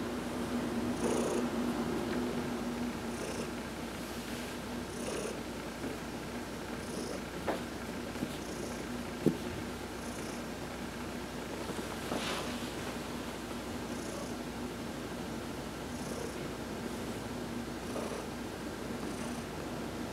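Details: Purring from Heidi, a pet cat, receiving a massage while sunbathing, November 19, 2020: continuous low vibrating rumble, paced by faint airy breaths about every two seconds, with a few small clicks.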